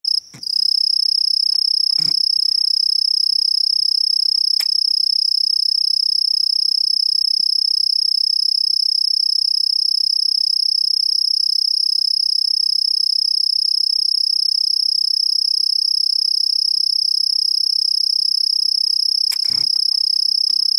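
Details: A male cricket, among numerous calling males with a female nearby, gives a steady, high-pitched trill that runs continuously without pause.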